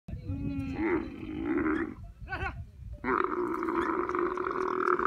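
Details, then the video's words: Female camel crying: a loud, rough, harmonic bellow for about two seconds, a brief wavering warble after a short pause, then a sustained groaning cry running to the end. "Female Camel crying"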